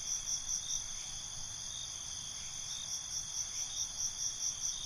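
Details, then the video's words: Night-time cricket chorus: rapid pulsed chirps repeating roughly every half second above a continuous high-pitched trill, with soft low background hum. "Night ambience, Cricket Conversations"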